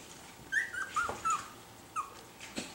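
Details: Young chocolate Miniature Schnauzer puppies, learning to voice themselves while starting to play together: several short, high, wavering whimpers in quick succession, each sliding slightly downward, with a soft squeak near the end.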